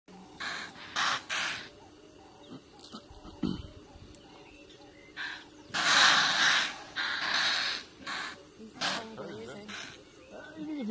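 Impalas give sharp, breathy alarm snorts in irregular bursts, warning of a nearby leopard.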